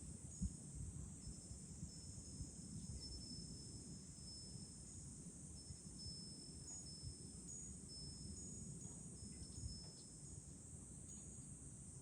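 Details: From a high lookout over Fukuoka city, Japan, in July, cicadas keep up an even, sizzling high drone while a wind chime tinkles faintly and wind murmurs low in the background.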